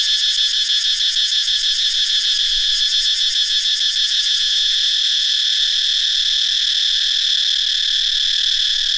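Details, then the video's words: Many cicadas, newly hatched in the dry season, singing in a forest in northeastern Thailand; a loud, unbroken, shrill buzzing chorus with fast rhythmic pulsing throughout, no other sounds standing out. "Many cicadas have hatched in the dry season in northeastern Thailand. How loud they are?"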